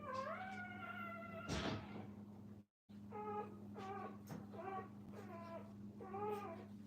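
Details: Young Brittany puppies with their mother at a kennel, crying in a long rising whine, then a run of short, repeated squeaky yelps about every half second, over a steady background hum.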